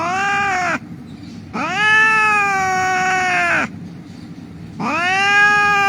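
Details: Injured rescued cat that had been lying on a street crying lets out three long, loud, strained meows, each over a second and steady in pitch, separated by brief pauses, with low hum beneath.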